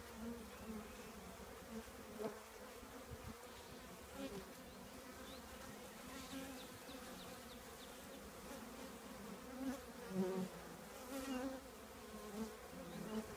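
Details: Bees of a honey bee colony housed in an old trash can give a continuous humming drone, even and low, rising in short louder surges near the end as bees pass nearby.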